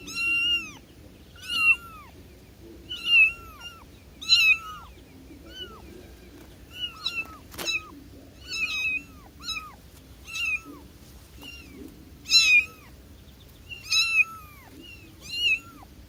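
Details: Baby cat calling to its mother, giving a long run of about a dozen high, plaintive meows, each one bending down at the end, repeated every second or so, with a single sharp click midway.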